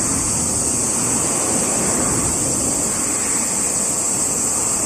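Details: A summer cicada chorus, recorded 17 July 2021, keeps up a constant high, sizzling buzz. Heavier low road noise from cars fills the background.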